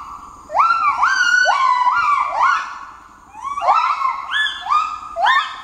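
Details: A gibbon group, including the youngest practising his calls, gives alarm calls in response to red langurs calling in their territory: sliding, siren-like whoops that rise sharply and hold, in overlapping bursts, before chasing the langurs out.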